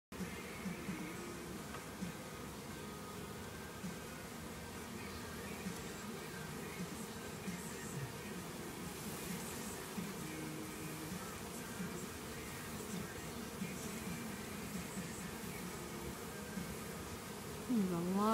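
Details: Honey bee colony buzzing during a cutout of a hive from an old hot water tank; a dense, steady hum with drifting tones around the low-mid range, a few brief louder noises, and a sharp swell at the very end.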